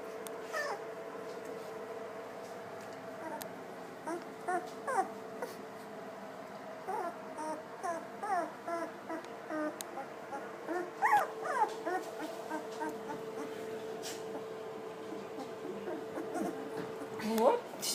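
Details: Litter of seven two-week-old yellow British Labrador Retriever puppies, four females and three males from Bailey and Pete, whelped May 30, 2013, indoors: soft, thin squeaky whimpers and chirps come scattered and in quick uneven runs over a steady low hum.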